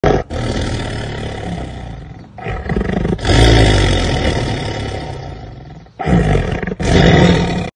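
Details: Black panther; long, deep, rumbling roars with growling breaths between them, broad and rough in tone, filling the whole recording.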